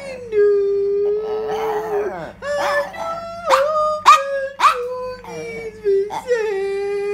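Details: Yorkshire terrier singing along with its owner: long, wavering, tonal howls held at a fairly steady pitch, broken by sharp rising yelps that swoop upward and fall back, with a faint steady hum underneath throughout.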